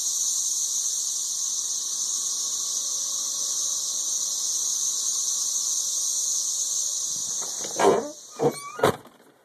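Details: Steady piercing high drone of a 13-year periodical cicada chorus in Nashville, Tennessee, recorded on a phone, with a faint low hum beneath and several loud thumps and rustles near the end.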